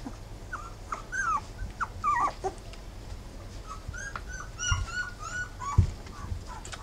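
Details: Three-week-old Rough Collie puppies of Wallis whining in clusters of short, wavering high squeals, several pups calling at once, with soft bumps and a low background hum.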